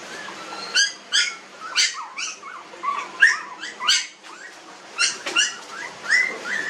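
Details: Newborn puppies, 19 days old, in a village, giving squeaky, arched whimpers in short bursts roughly every half second, with quiet gaps between cries.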